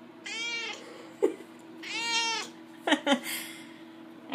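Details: Chatty female house cat answering her owner: two drawn-out, wavering meows, then brief clicks and short chirps, with a steady background hum and the owner's voice near the end.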